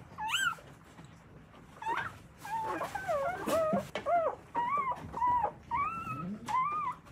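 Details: An Akita mother in Akita, Japan, nurses and cleans her newborn puppies as they squeal. The high, bending whimpers overlap in a busy chorus, with a brief quieter gap near the start.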